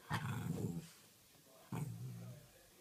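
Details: Cavalier King Charles Spaniel named Charlie makes two low, rumbling growls, each with a sharper onset and a drawn-out grumbling tail, the second following the first after a short pause.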